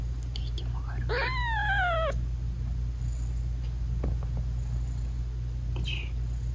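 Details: British Shorthair mother cat talking sweetly to her tiny newborn kittens while nursing them. One clear drawn-out meow rises then falls, followed by a few brief soft chirps, over a constant low hum.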